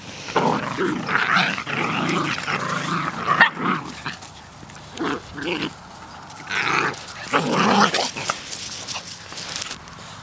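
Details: Puppies play fighting outside, trading bursts of rough growling and snarling with short gaps, a busy scuffle of overlapping voices through the whole recording.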